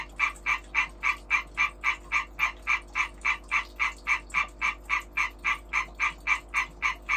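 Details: European tree frog; breeding call; breeding call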